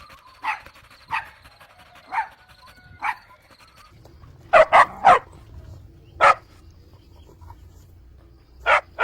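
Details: Puppies drinking milk on a green meadow, giving short sharp yips and barks, a spaced run of four early on, then a quick burst of three and a few more single barks over a faint low rumble.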